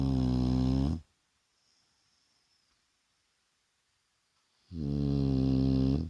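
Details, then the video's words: Shar Pei Vaya dozing by day: a heavy rumbling snore, a quiet pause of over three seconds, then another long, low, rasping snore. "Шарпей Вая храпит!"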